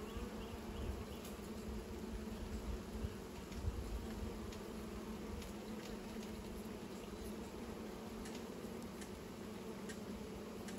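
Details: Droning hum of bees building new nests, continuous and even, with a layered low buzz and faint scattered ticks above.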